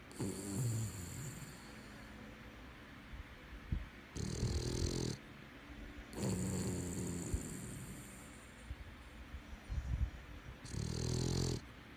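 A Boston Terrier snores loudly, with rasping, rattling breaths that come in bursts every few seconds.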